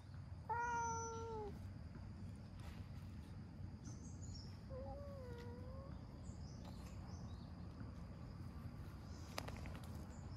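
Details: Stray orange tabby cat enjoying being stroked and massaged gives a loud, slightly falling meow, then a softer, wavering meow a few seconds later, with a low background rumble and faint distant chirps.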